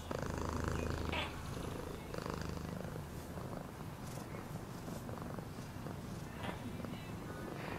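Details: Domestic cat purring, offered as a relaxing sleep sound: a steady, low, rumbling throb with fine rapid pulses, swelling slightly in bursts over the first seconds, with faint higher hiss above.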